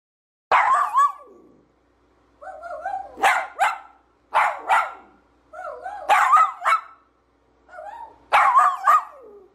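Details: Dachshund, a playful sausage dog, giving five bursts of high, yelping barks about every two seconds, each a quick cluster of two or three sharp yips with short quiet gaps between, no other clear sounds.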